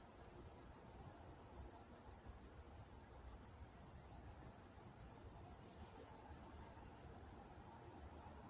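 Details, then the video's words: Crickets at night in Walnut, California, chirping in a steady, high-pitched pulse about three times a second, with a fainter overtone above and a quiet background. "Nature Sounds Night Time Crickets in Walnut, California"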